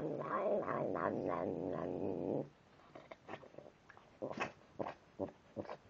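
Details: Tim, a domestic cat, grumbles as he eats. A rough, low, pulsing growl lasts about two seconds and then breaks off into scattered soft clicks and chewing sounds.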